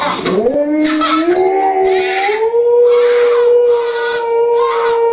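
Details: Pet dog howling along to a lullaby: a long sustained tone rising at the start, then gliding slightly higher and holding steady, with breathy bursts of singing or music layered above.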